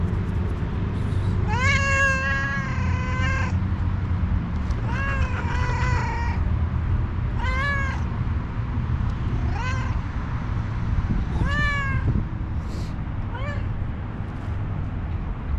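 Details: Hungry, angry homeless tuxedo cat with one eye calls repeatedly: long sustained meows first, then shorter rising meows every second or two, over a steady low background rumble.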